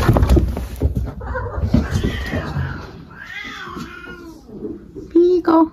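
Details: Maple, a pet cat, mid-zoomies: a few drawn-out meows that rise then fall in pitch, coming after a stretch of human talking and thumps at the start, with two short high squeaks near the end.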